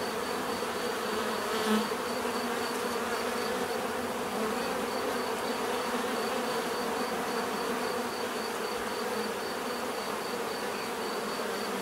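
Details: Bees produce a constant droning buzz for nearly twelve seconds, low layered hum with a faint high pulsing tone; a single bee flies close by early on, briefly louder.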